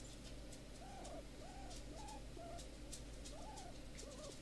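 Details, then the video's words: A large rehomed female guinea pig called Big Momma, once left uncared for in a garden shed, makes repeated arched, tonal squeaks about twice a second, with faint clicks and a low room hum behind. "Big Momma Guinea Pig Squeaking"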